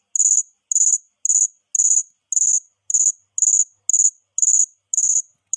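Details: Cricket. A cricket chirps steadily, each short, high, metallic burst coming about twice a second. Faint low murmurs sit quietly under the regular pulses.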